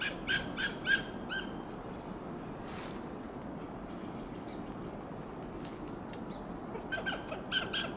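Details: Western gray squirrel on a coast live oak in Del Monte Forest, California, giving loud alarm calls: rapid bursts of short, harsh, staccato clucks, about four at a time, near the start and again at the end, separated by a quiet pause.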